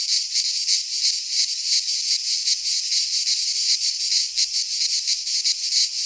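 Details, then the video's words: Midsummer cicada song from a Greek pine forest, a high, hissing, rasping buzz that swells and fades in quick regular beats, about three per second, filling the whole recording without other noises. "Cicadas singing in midsummer - Nature sounds from the Greek fauna - Sounds of cicadas"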